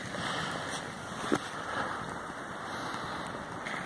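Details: Wind buffeting the microphone on a beach in Nairn, Scotland, in August, with distant surf and one brief sharp knock; no animal sound is heard.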